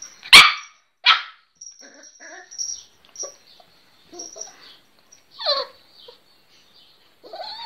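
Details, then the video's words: A little Miniature Pinscher barking for the first time: two sharp, high barks about a second apart, then soft scattered whimpers and a single descending whine, in an otherwise quiet room. "Little Miniature Pinscher Barking For First Time"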